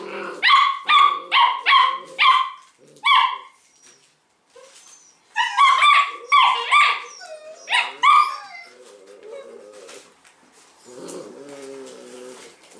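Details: Thirteen 6-week-old Leonberger puppies play tug of war with a toy, two or three pulling while others cheer: a burst of rapid high yapping barks, about a dozen in quick series, then softer whines and low murmurs.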